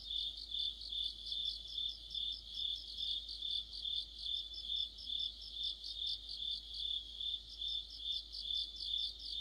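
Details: Crickets and other insects chorusing in mid-autumn: a steady high-pitched ringing trill underlies pulsed chirps that rise and fall in loudness about twice each second, with no other sounds standing out.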